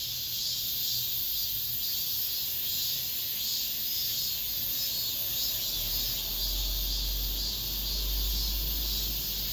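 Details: A late-summer cicada chorus in an apartment complex gives a constant shrill high buzz with soft pulsing, while a low rumble builds in the final seconds.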